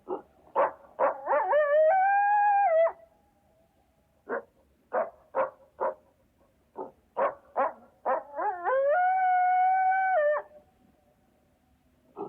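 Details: Coyote giving a rapid series of short sharp yips that run into a long, steady, rising howl with clear overtones; the yipping-then-howl pattern happens twice, with quiet gaps between the bursts.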